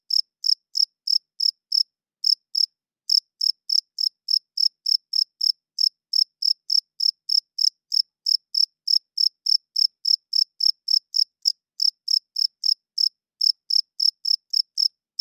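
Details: Nighttime cricket chirping, produced by males rubbing their wings together to court females and claim territory; clean, high, evenly spaced pulses roughly three per second, with a couple of short gaps and silent background.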